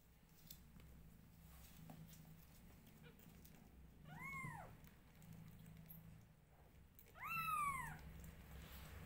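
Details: Newborn kittens calling as their mother grooms them; two clear, arched meows, the second louder and longer, separated by a few seconds of quiet room hum.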